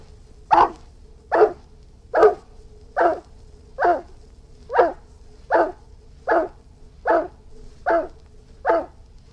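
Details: Irish Wolfhound barking steadily: eleven coarse, forceful barks at a very even pace, a little under one per second, with a soft continuous hum behind.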